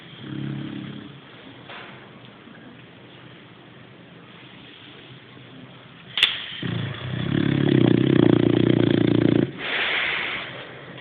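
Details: Sleeping Boxer dog snoring: low, rough, rasping breaths, a quieter stretch, then a loud sustained snort-like snore for about three seconds, with a sharp click between.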